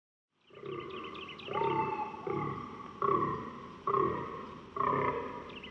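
Fallow deer giving a series of hoarse, belching groans, each a short burst about a second apart.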